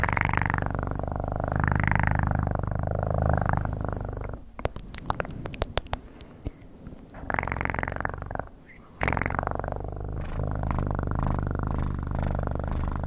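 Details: Purring cat recorded up close as ASMR: a loud, rumbling purr that rises and falls with each breath, interrupted midway by a few seconds of clicks and handling noise before the purr returns.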